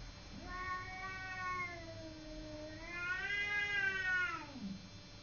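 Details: Cat yowling during a fight with a neighbouring cat: two long, moaning wails, the first dipping low, the second rising louder and harsher before dropping away, with a steady background hiss.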